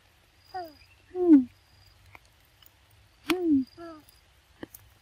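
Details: Baby monkey Lexi, cold and shaking in the rain, gives short squeaky cries that slide downward, four calls in five seconds arriving in loose pairs. The background is otherwise quiet apart from a few faint clicks.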